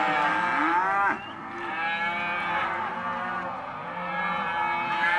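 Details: Hereford and Careta calves, males and females, offered as lot 9: a loud bellow cuts off after about a second, followed by softer, drawn-out overlapping moos that slowly build again.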